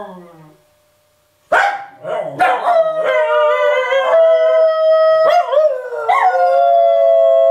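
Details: Three dogs, a parent and its young, howling together: after a second of quiet, sharp yelps break into overlapping sustained howls that waver and slide, several voices layered at once and steady to the end.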